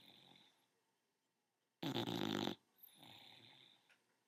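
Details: Ten-month-old bulldog snoring in its sleep, one harsh, rattling snore of nearly a second between quieter breathy exhales, close and indoors with no other sounds.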